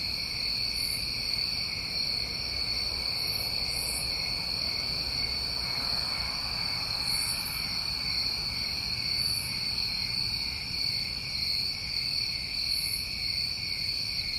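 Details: New England summertime crickets calling at night, a ceaseless high buzzing trill in two bands, punctuated by sporadic sharp higher chirps every couple of seconds, with low diffuse background noise.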